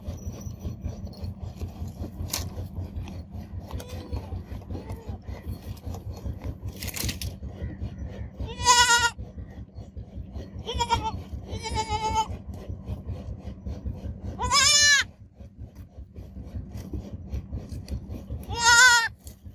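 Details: Baby goat kid bleating about six times over some twenty seconds: short quavering, harmonic-rich cries that rise then fall, some louder and longer, with quieter ones between, over a steady low droning hum.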